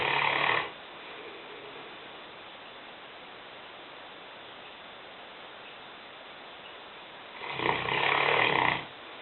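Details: Lena, a Newfoundland dog aged five and weighing 150 pounds, sleeps in a kitchen; a rough snore opens the clip, then quiet, then another grating snore about seven seconds later.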